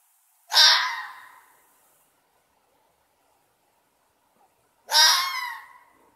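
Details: A red fox, filmed on 31 March 2020 with a thermal infrared camera while howling and preening, gives two loud, harsh, rasping howls about four seconds apart in an otherwise quiet night.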